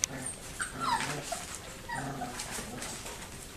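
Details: Four-week-and-one-day-old puppies, recorded on 20 February 2013, give a few short, high whimpering squeaks that slide downward near the first second, followed by soft rustling and low background noise.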